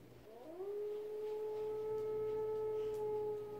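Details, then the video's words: Rescued retriever puppy, a Labrador retriever mix, reacting on first hearing howling: one long, smooth, steady howl that slides up at the start and then holds an even pitch for over three seconds. "하울링을 처음 듣는 강아지 반전(?) 반응 /리트리버 강아지의 반응 / A puppy listening to howling"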